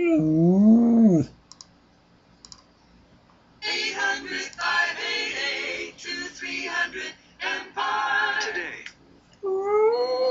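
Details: A Siberian Husky howls every time he hears a particular commercial jingle, even when it is played on YouTube. He gives a long, quavering howl that swoops up and down in pitch, then howls again at the end, while the bright sung jingle plays.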